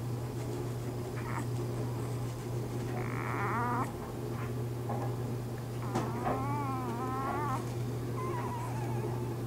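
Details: Newborn Bernese Mountain Dog puppies in their first days of life, born to the mother Bear, give thin, wavering high squeals in two short bouts, the second a rippling up-and-down cry, over a steady low indoor hum.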